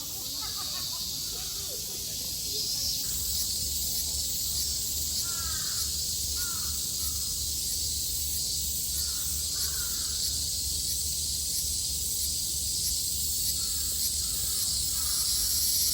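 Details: Cicadas in Japan in summer 2022 sing together in a continuous, high, shimmering, hissing drone that never pauses, while crows call faintly now and then beneath the insect chorus.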